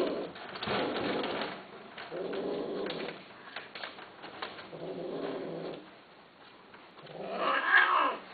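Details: Cats offered for sale in 2011 mew indoors. Four drawn-out, wavering meows come about two seconds apart, and the last is the loudest and highest.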